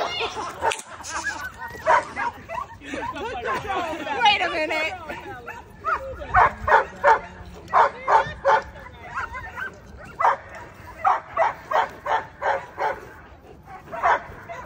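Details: Nine-month-old German Shepherd practicing two-man attack training, barking in fast, steady bursts of roughly three per second, with a human voice heard early on.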